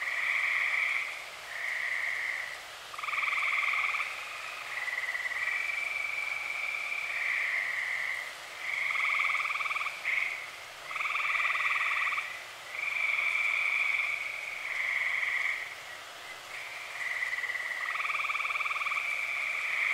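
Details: Night chorus of many tree frogs in Eastern Pennsylvania, early summer: rapid pulsed trills about a second or two long overlap and alternate continuously, higher and lower voices weaving together into an unbroken rhythmic drone.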